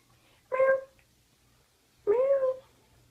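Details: Cat meowing twice, about a second and a half apart: a short first call, then a longer one that bends upward and levels off, in a quiet indoor space.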